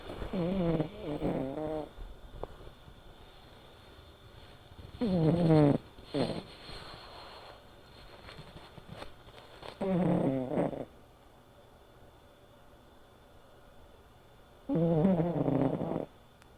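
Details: Male American Shorthair cat, silver tabby, five years old, asleep indoors and snoring softly: four low, rattling breaths spaced about five seconds apart, each lasting under a second, in a quiet room.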